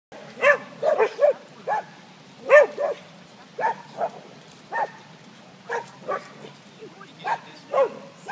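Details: A female pet dog that does not play yelps and barks excitedly while watching others play, cheering them on like a cheerleader; short, high, sharp yips come in quick clusters, about a dozen in eight seconds, over a faint steady hum.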